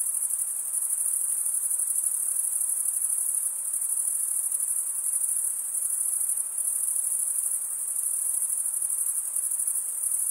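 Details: Male crickets stridulate with their wings, producing a dense, piercing trill that runs without a break and swells softly at times, the only sound present.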